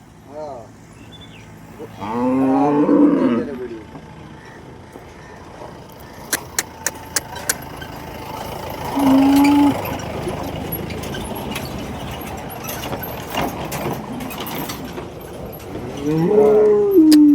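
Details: At the Loni cow market, Holstein Friesian cattle give three rising-then-falling moos spread over seventeen seconds. Busy background of people talking, a passing vehicle and sharp clacking knocks.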